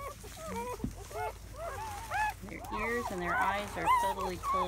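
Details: Newborn German Shepherd litter of seven, born May 7 into May 8, 2017, heard in its first hours: short curved squeaks overlap with lower, steadier whimpering tones and a human voice underneath.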